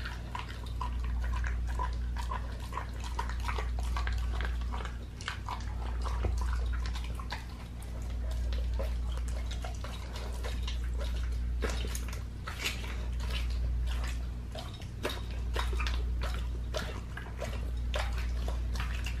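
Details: Indoor raw feeding of a pit bull on a leg of lamb: rapid rhythmic crunching bites, wet and clicky, with the chewing swelling and easing in waves above a persistent low hum.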